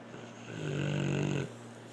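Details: A single drawn-out snore from Blue the dog, a rough, droning rasp swelling over nearly a second before dropping back to a faint steady hum.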